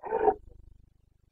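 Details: Carpathian stag in the Bucovina rut, 29 September 2022: the rough tail of a short roar cut off after a third of a second, fading into soft low pulsing.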